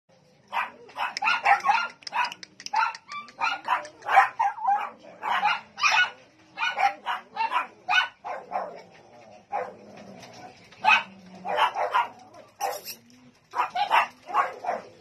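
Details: Dog barking that frightens a Belgian Malinois puppy; rapid bursts of sharp barks and yelps come in quick clusters with short pauses, the volume rising and falling throughout.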